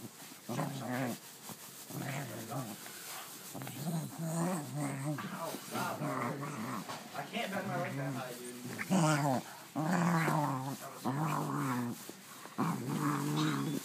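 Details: Pet dog vocalizing while playing with its new toy, strange gremlin-like sounds: a run of groaning, warbling growls in short bursts with wavering pitch, several per few seconds, indoors.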